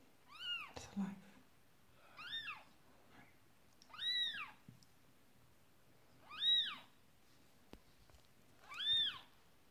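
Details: Marley, a Persian cat, calls while giving birth to her second kitten: five arching, rising-then-falling meows at about two-second intervals, each clear with strong overtones, in an otherwise quiet setting.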